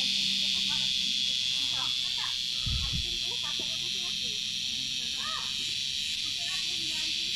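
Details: An insect found on Gunung Datuk, the source of a noisy "kriuk kriuk" sound, gives a steady, high, shrill buzzing drone while people talk quietly nearby.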